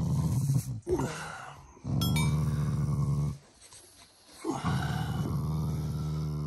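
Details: Shiba Inu, a family pet, growling affectionately at its owners rather than in anger; long low rumbling growls in sustained bursts of one to two seconds with brief pauses, background music faint.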